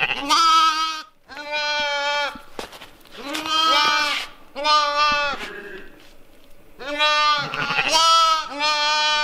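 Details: Several loud, quavering bleats from West African dwarf goats on a farm, recorded in October 2020. The calls come in quick succession and sometimes overlap, as from more than one animal, with brief gaps between them.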